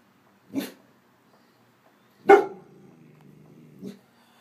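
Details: A 10.5-month-old intact male Greater Swiss Mountain Dog, 95 lb, sitting on a porch and trying not to bark at passers-by. He gives three short, breathy puffs spaced about 1.5 seconds apart; the middle one is loudest, and a soft voice follows.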